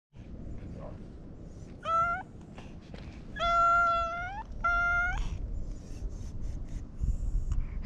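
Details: Domestic cat, a stray, being petted and answering with a cute voice; three clear harmonic meows, the first short and the next two longer with a falling end, over low background rumble.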